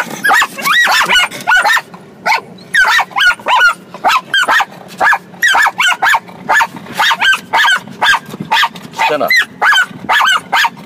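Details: Excited barking from the pet dogs Sanshin and Sango, who grow very happy on days they see their mama. Rapid, uneven bursts of high yipping barks, often in pairs and triplets, continue almost without pause for ten seconds.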